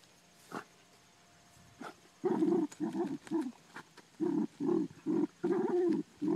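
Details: Hunting groundhogs on the farm, Ammo the Dachshund lets out a steady string of eager barks, each one short and throaty, coming about twice a second after a couple of faint yips at first.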